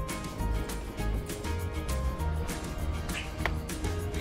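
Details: Background music with low bass notes and sustained tones plays throughout, with no animal voice.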